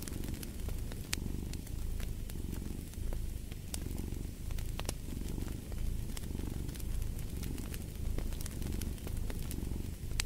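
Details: Purring cat, a thick low drone pulsing in breath cycles roughly every second, with scattered sharp fire crackles on top.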